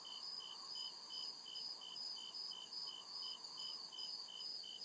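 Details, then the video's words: Crickets chirping at night in the deep woods: high, steady pulsed chirps repeating about two or three times a second, one band pulsing near the top while a continuous higher trill runs beneath, over a faint low hum. "CRICKET CHIRPING SOUND"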